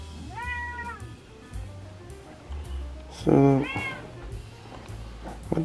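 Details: Indoor male domestic cat, loud and insistent about going outside to play with raccoons on a rainy day; a short arched meow early, then a louder pair of meows near the end, with a woman speaking and background music.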